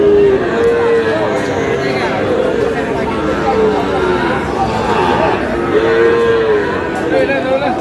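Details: Cattle at a market in Kurigram, Bangladesh, where a Sahiwal bull is being bought; two drawn-out, slightly arching moos, one near the start and one about six seconds in, over a constant hubbub of crowd chatter and bargaining voices.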